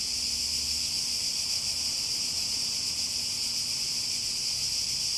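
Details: Chorus of cicadas making a dense, unbroken, high buzzing drone with a fine pulsing texture. It stays even in loudness from start to finish, with no other clear sounds.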